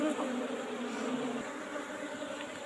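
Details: Asian honey bees (Apis cerana) kept in an old-style wooden box, disturbed during a honey harvest as the keeper works at opening it from the side; a steady low hum of many wings with a fainter overtone above.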